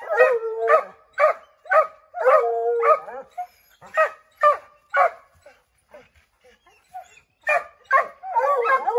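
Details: Five Redbone Coonhounds bark at a chipmunk up an oak tree; rapid runs of barks, roughly two per second, with brief bayed notes mixed in, a lull midway, then a renewed burst.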